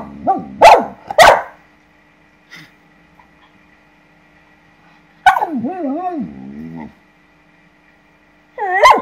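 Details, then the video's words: Female Samoyed dog, indignant at seeing a lizard for the first time: two sharp, loud barks, a faint yip, then a long wavering, yodel-like whine rising and falling for about a second and a half, another beginning at the end. "Perro Samoyedo indignada con Lagarto Colorado"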